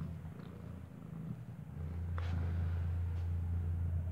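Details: Kartopu, a white stray cat, with her newborn white kitten whose eyes are still closed, kept indoors in an apartment block in cold weather; a steady, deep purring rumble builds and holds, with a faint brief squeak.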